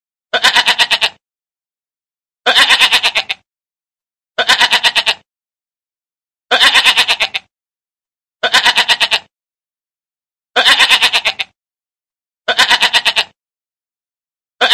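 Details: Nursing mother goat with her kid, giving a steady run of eight tremulous bleats. They repeat about every two seconds, the last one cut off, and nothing else is heard.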